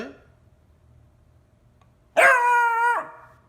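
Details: Pet dog from a compilation of funny dogs, giving one short, steady, tonal whine or howl of under a second with rich overtones, breaking a near-silent room.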